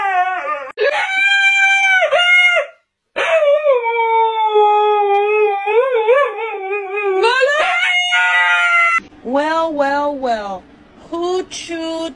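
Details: Husky making drawn-out, talking-style howls: long harmonic wails sliding up and down, broken into several phrases with brief gaps, ending in shorter rising whines; a person's voice briefly heard.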